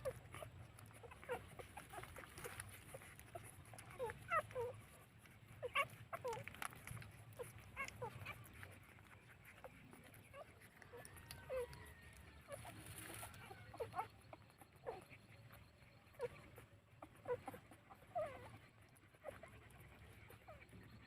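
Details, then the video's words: Two-day-old puppies nursing from their mother, giving scattered short high squeaks and thin whimpers every second or so among soft snuffling and rustling, over a steady low hum. "Puppy 2_days_old take breastfeeding"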